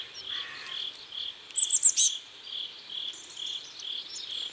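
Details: Riverside crickets at sunset in South Korea: evenly spaced high chirps roughly every half second, with a quick run of sharp bird notes midway and faint thin whistles later.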